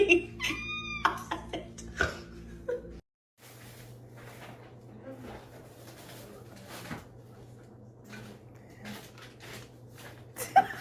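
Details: Domestic cat giving a quick run of short, rising-falling meows in the first two seconds, then a cut to a steady low hum with scattered faint knocks and rustles indoors.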